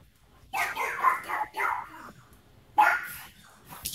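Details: Watch dogs barking: a burst of gruff barks, then a single loud bark about two seconds later, with quiet background between.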